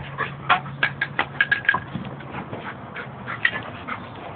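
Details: Ciro, a white Italian sheepdog, and Oly, a black Labrador, wrestle at home, giving a quick series of sharp yips and snarls, about seven in the first two seconds, then softer growling scuffles.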